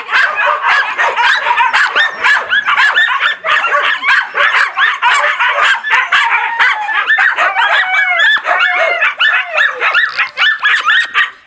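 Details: Several husky and laika puppies on 04.06.16 barking and howling loudly at once, a dense tangle of rising and falling whiny howls mixed with sharp yips, continuous with brief dips.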